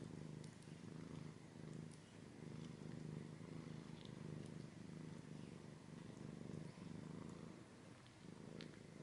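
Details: Cat purring in an ASMR-style close recording, a deep, even rumble with a clear rhythmic pulse, breathing cycles audible as gentle swells, and a few light ticks and scratches above.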